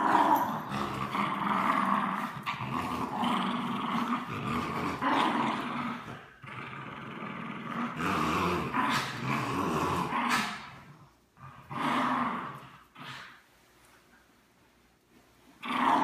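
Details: Playful tug of war between a French Bulldog and a Bichon Frise: sustained gravelly growling for about ten seconds, then broken short growls and snorts separated by quiet gaps before growling resumes.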